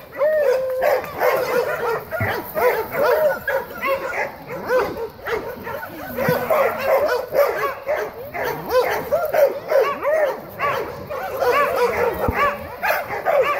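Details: Dogs playing and greeting. An unbroken stream of short, high, bouncing yips and barks continues throughout, with a few drawn-out whines in between.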